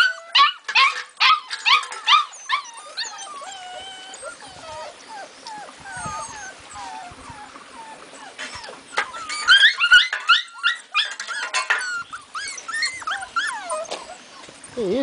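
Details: Pitbull and Labrador puppies calling together: many high, bending whimpers and yips tumbling over each other, some short howl-like whines, with a burst of laughter nearby.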